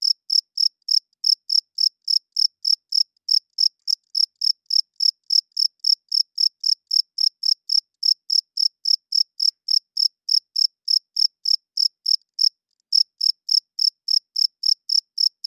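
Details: Cricket chirping loudly at night: steady, high-pitched pulsed chirps repeating about three to four times per second for the whole stretch, with one brief break near the end; no other sounds.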